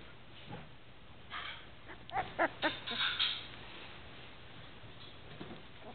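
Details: Two-week-old Newfoundland puppies give a quick run of about five short, squeaky whimpers in the middle of the recording, with quieter background rustling before and after.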